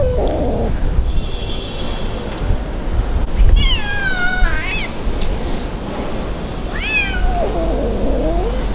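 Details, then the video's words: Abandoned kitten on the street, rescued and fed sausage: a low, drawn-out wail opens, then a loud meow that rises and drops, a shorter rising meow later, and another low wavering cry, over constant dull rumble. "Abandoned Kitten Crying At The Street"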